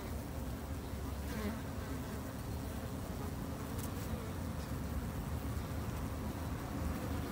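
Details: Japanese honey bees kept by a beginner backyard beekeeper, two months into keeping them: a steady, low droning hum with layered harmonics, unbroken throughout, with faint hiss above.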